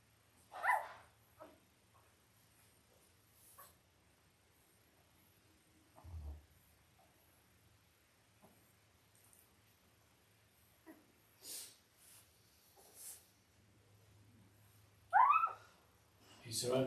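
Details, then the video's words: Five-day-old Labrador Retriever puppies, a litter of five males and three females born October 15, 2023 to the mother Belle, indoors on a puppy cam: brief high squeaks early on, long quiet stretches with soft shuffling, then a rising whining squeal near the end. "5 Day Old Labrador Puppies"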